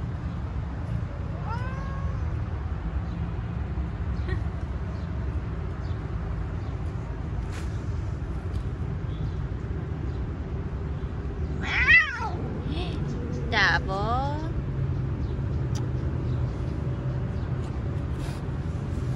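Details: Three-legged stray cat being petted on a street, a short meow early on, then two loud, wavering, drawn-out meows around twelve and fourteen seconds, against constant low traffic rumble.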